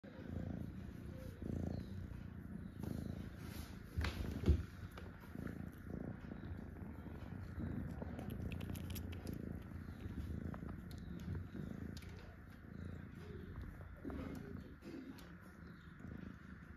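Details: Cat at feeding time, a low steady rumbling purr running through the whole stretch, with soft knocks and faint background noise around it.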